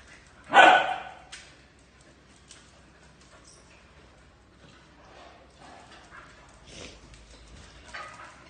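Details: Phu Quoc Ridgeback dog from a breeding kennel in Thu Duc, Vietnam, during obedience training: one sharp loud bark near the start, then quiet with faint scuffs while a trainer gives commands and praise in Vietnamese.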